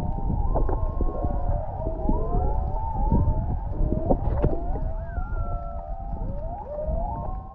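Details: Humpback whale song recorded underwater about half a mile off Maui's coast at Canoe Beach: long, sliding moans and whoops that rise and fall over a deep rumbling sea.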